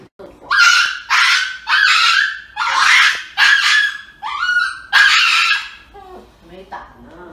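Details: A dog about to get an injection lets out a run of loud, harsh yelping cries, about seven in six seconds, each a strained howl-like burst, fading into softer whines at the end, indoors.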